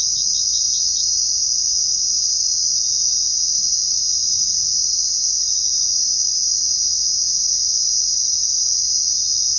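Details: Crickets at night keep up a constant high shrill trill, opening with a short series of separate pulsed chirps during the first second before settling into the smooth, even chorus.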